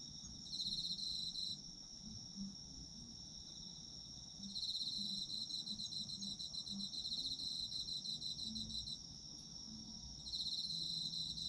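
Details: Autumn insects calling in a sleep-oriented recording: a steady high chirring band with long trilled bouts of several seconds separated by quieter gaps, over a faint continuous low background hum.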